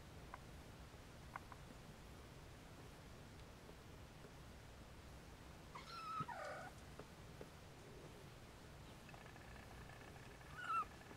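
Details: Siamese kittens resting with their mother Siamese cat, trying to nap while some stay awake and rouse their siblings; two thin, high mews several seconds apart, the first wavering then dropping, the second short and sharp, over a quiet hiss.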